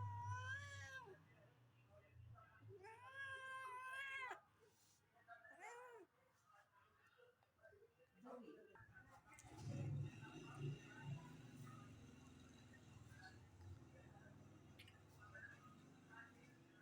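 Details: Cats waiting to eat meat utter a quick series of four arching meows, each rising then falling, in the first four seconds. Rustling, scattered clicks and a low indoor hum follow.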